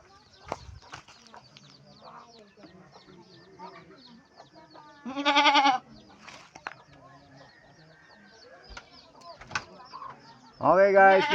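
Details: Pregnant domestic goats, kept as pets and close to giving birth, bleat twice: a loud, quavering, harmonic cry mid-way and another at the end. Soft speech and faint chirps fill the gaps between.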